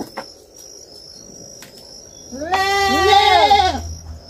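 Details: Young farm goat lets out a single drawn-out, wavering bleat after a few seconds of low background noise and faint clicks.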